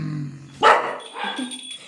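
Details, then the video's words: A pet dog barks at no one while a Bengali-speaking woman scolds it. A single loud, abrupt bark is preceded by low music, followed by a quieter trailing sound. "ফফরা ঠেকির আওয়াজ বেশী 😁🤣😁🐕🐕🐕এমনি এমনি চিল্লার🐕"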